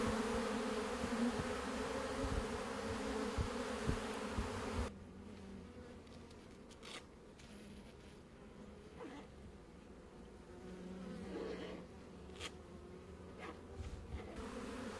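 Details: Honey bees buzzing loudly for about five seconds in a thick, even drone, then the sound drops to a faint hum with scattered clicks and brief rustles.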